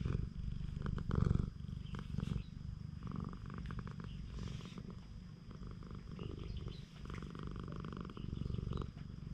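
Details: Purring stray cat being petted on a cat island, GoPro HERO8 recording. Deep, continuous vibrating rumble with rhythmic pulses, louder in the first seconds, broken by soft rubbing and handling noises.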